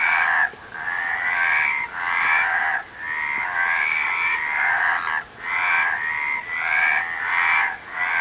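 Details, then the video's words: Rattling, trilled croaks from many frogs overlap in bursts of one to two seconds, with short quiet breaks between surges and faint clicks beneath the chorus. "Frog Sound"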